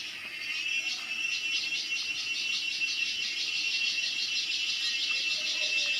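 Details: Cicada, locally called cheeveedu, in a natural setting: a dense, high, shrill buzzing drone that throbs in quick, regular pulses, several per second, holding steady throughout with no other clear sounds.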